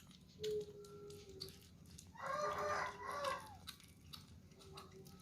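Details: Kittens eating for the first time and scrambling over food give short high meows, one brief tone, then a louder, longer wavering mew with rich overtones midway, amid faint background clatter.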